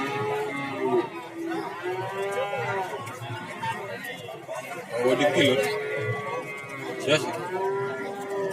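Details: Cattle at the Warujayeng livestock market in Nganjuk, Indonesia. Several overlapping, moderate moos are heard amid steady crowd chatter and some faint music.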